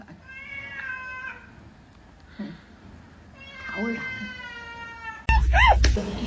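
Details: Domestic cat meowing: a drawn-out harmonic meow, then a second longer meow with a falling tail, and a loud, sharp, rising cry at the end. Faint voices and room noise sit in the background.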